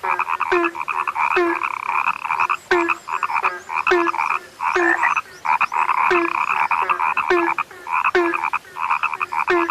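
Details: Several frogs croak together in rapid rattling bursts, punctuated by regular short falling notes about every second, with brief quiet gaps between bursts.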